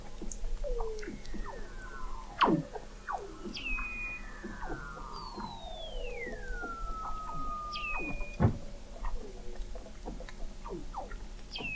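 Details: Under the sea ice of McMurdo Sound, Antarctica, November 2017, a fixed undersea observatory 21 m down picks up Weddell seals: many downward-sweeping whistles, a long smooth descending glide, short clicks and chirps overlapping, a steady high tone early on.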